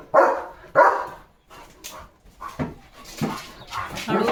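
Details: Morning guard barking from a German Shepherd in a farming village, aimed at passing cattle, vehicles and other dogs; two sharp loud barks, then weaker irregular barks mixed with rustling and a man's voice.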